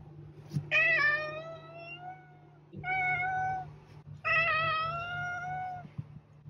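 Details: Cat giving three loud, stretched meows with strong harmonics, each lasting over a second, against a constant low humming background with a few clicks.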